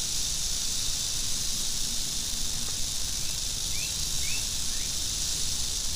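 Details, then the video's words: Angry western diamondback rattlesnake giving a steady, dry, high hiss-like rattle that runs unbroken for the whole stretch, with a few brief rising chirps from small birds in the background. "Angry Western Diamondback Rattlesnake"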